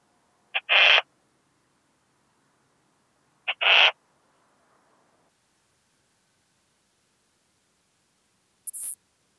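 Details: Western saddle bush-cricket song from Bollenberg, France, 9 October 2022, via ultrasound detector: paired chirps, a quick tick and a rasping buzz, repeated roughly every three seconds, with a higher-pitched short rasp near the end.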